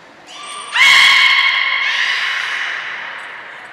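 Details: In a training session with every beluga at Port of Nagoya Public Aquarium on 2 April 2023, a short high whistle tone precedes one loud, stacked harmonic call that holds steady then slowly fades over about three seconds.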